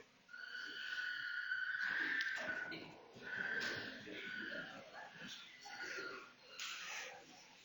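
An angry chimpanzee gives a run of harsh, high, tonal screams in quick succession.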